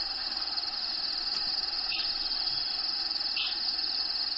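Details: Crickets heard inside a bearded dragon's vivarium as natural habitat sounds play in the background; a continuous shrill high trill holds throughout, broken by two short falling chirps about one and a half seconds apart.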